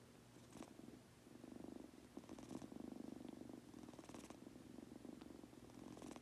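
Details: A male Munchkin kitten falling asleep purrs steadily, a low rumbling pulse with soft breathy bursts, possibly snoring.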